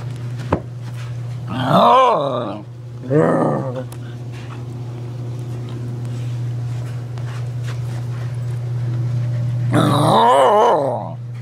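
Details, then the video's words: A female Pembroke Welsh Corgi indoors makes her typical "corgi noises", three wavering, moaning grumbles prompted by her owner's antics with the camera, over a steady low hum. "Corgi Noises From Sadie!"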